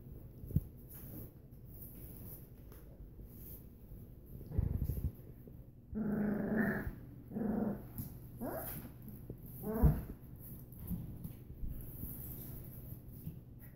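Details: Three-week-old Australian Shepherd puppies beginning to play give a few short, harmonic growls and squeaky yelps in quick succession midway through, over a steady low background hum.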